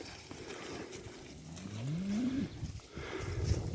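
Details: Limousin cattle being driven to the next pasture: one drawn-out low moo that climbs steadily in pitch for about a second, then breaks off, over outdoor rustling and shuffling steps.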